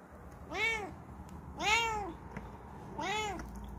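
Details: Relaxed Bengal cat resting, three arched harmonic meows at roughly one-second intervals, the middle one loudest, over faint indoor background.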